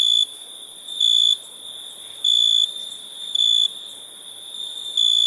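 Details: Night crickets give pure, high, ringing notes in bursts of a third to half a second with uneven gaps of about one second, over a faint background hiss.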